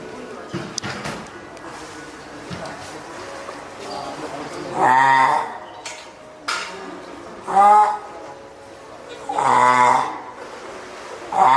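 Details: Hand-reared female spotted seal pup, born 19 April to Komachi and Gokuu, at Oga Aquarium, Japan, 9 May 2017, loudly calling its keeper, perhaps hungry or wanting onto land; three harmonic wailing cries, each about a second, between clicks and splashy background noise.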